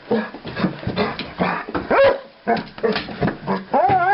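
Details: Elderly female guide dog happily greeting a visitor a day later than expected, making soppy whining noises: short nasal whines and moans, some rising and wavering, mixed with a woman's soothing speech indoors.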